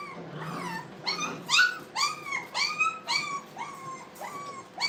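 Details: Brittany puppies at play in a kennel, giving a steady run of high, arched yips and whimpers, about two each second, each call bending up and then falling, with a soft low growl near the start.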